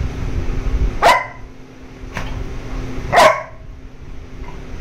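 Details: A Labrador Retriever, a pet dog being given ice cream, gives two short, sharp barks about two seconds apart over low indoor background noise.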